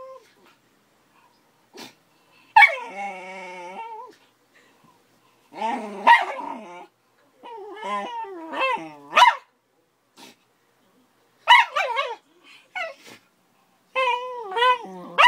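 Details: Schnauzer Dory, 13 years old, growling at the five-month-old Akita-Labrador puppy Cora: drawn-out buzzy growls alternate with bursts of high, wavering snarling barks and yelps, repeated several times, and a voice calls the puppy's name.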